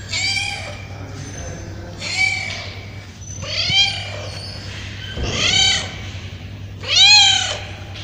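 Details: Hungry street cats crying for food give a string of drawn-out, rising-then-falling meows, repeated every second or two, while being fed.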